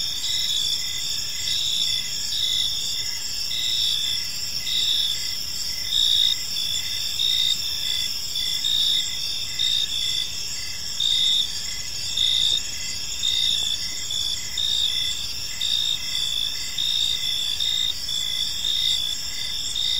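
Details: Park crickets chirping through the evening, a sustained high, buzzy trill chorus with rhythmic surges roughly once per second across twenty seconds, many insects overlapping above soft ambient rumble.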